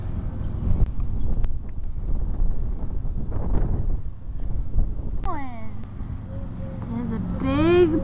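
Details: Puppies outside for their first time in the cold; a person talks over low rumbling ground noise before one puppy gives a sharp, falling whine and then a longer, quavering whimper near the end.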